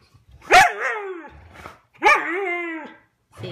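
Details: Husky talking back to its owner about a chewed couch, indoors: two bark-like vocal outbursts about a second and a half apart, each a sharp onset bending into a drawn-out, wavering moan; owner speaks around it.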